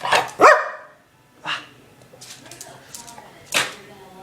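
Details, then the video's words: Domestic dog giving short, explosive sneezes between pauses, with a loud vocal burst at the start and a person's voice urging "sneeze" in the background. "Cute Dog Sneezing"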